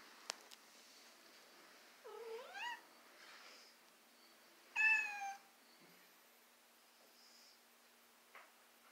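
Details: Male domestic cat that dislikes his stroller gives two meows several seconds apart, the first a wavering rising-falling cry, the second short and bright, with a few clicks and soft handling noises between.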